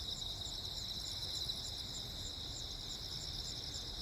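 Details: Crickets chirping at night during a lightning storm on Jeju Island, South Korea, on 15 August 2024: a dense, steady high-pitched trill with faint pulsed chirps above, over low rumbling background noise.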